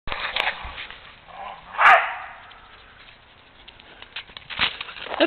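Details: A Pembroke Welsh Corgi playing with a punctured, deflating plastic ball gives short, sharp barks with quieter snuffling between them.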